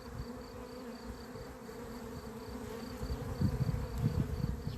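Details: Agitated honey bees of a beekeeper's apiary, 28 April 2026, said to be running amok: a constant buzzing hum with a faint, regularly pulsing high tone. Bumping low knocks grow louder in the final second and a half.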